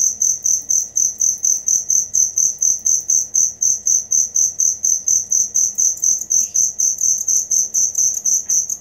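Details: Real cricket sound kept as song material for songbirds: loud, high pulsed chirps repeating roughly twice per second, very regular, with a quiet background and one brief faint squeak.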